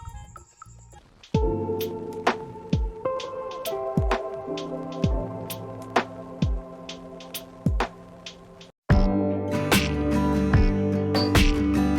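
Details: Plucked melodic music with ringing notes and a steady beat plays throughout, briefly cutting out near the ninth second before resuming more fully.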